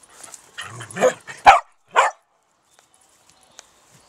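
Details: Dachshund on an allotment plot giving a rapid run of barks, opening with softer whiny, growly yelps that build into two loud, abrupt barks half a second apart, then quiet with a few light clicks.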